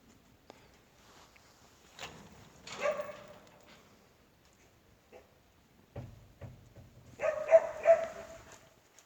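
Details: Korean Jindo dog of native stock giving a couple of barks separated by a pause, with low thumping noises between them, then a closing run of three sharp, ringing barks.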